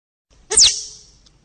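A squirrel gives one sharp, high squeak that slides quickly downward, with a breathy burst underneath.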